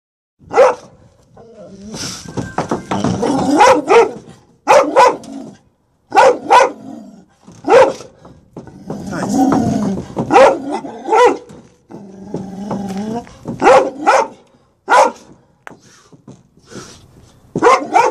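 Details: Presa Canario male named Major, a protective dog, in a staged play attack after a reunion with his son Roscoe in Atlanta, Georgia, January 2014; loud broadband barks in irregular bursts with growling between them and a person's voice.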